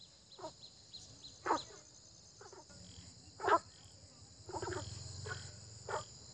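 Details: Frogs calling in early spring with short gravelly croaks at irregular spacing, one louder call standing out midway, accompanied by a low rumbling hum and a steady high insect drone.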